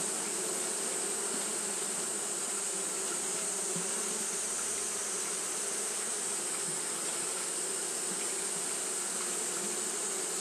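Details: On a hot day, Japanese honey bees keep up their fanning: an unbroken, even buzzing drone with a faint wavering texture, accompanied throughout by a steady high hiss.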